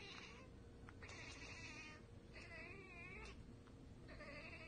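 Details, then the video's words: A house cat spots prey it cannot get to and answers with bursts of fast, quavering 'ekekeke' chatter, four clusters spread across a few seconds against a noisy indoor hum. "Cats Ekekekeke Compilation - Cats chattering at birds!"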